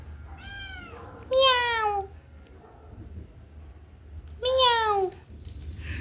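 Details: Pet cats meowing indoors after dark during a storm with thunder, lightning and rain; three clear, drawn-out meows, each sliding downward in pitch, the second and third loudest, separated by a quiet gap of about two seconds.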